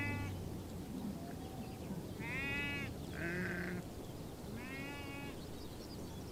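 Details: Nomadic herd of sheep and goats in Bayandelger, Tuv province, Mongolia; a few separate, fairly faint, nasal bleats spaced a second or two apart over a steady low background hum.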